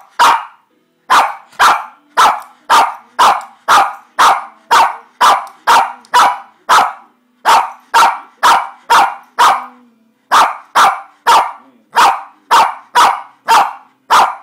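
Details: A one-year-old Shih Tzu that loves to "talk" barks in a steady series of sharp, mid-pitched yaps, about two each second, as its owner prompts it.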